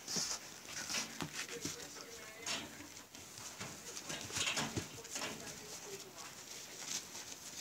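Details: A Siberian husky litter born in March 2017 to Liv: the newborn pups give short, repeated squeaky cries and whines over constant rustling and shuffling, with voices faintly present.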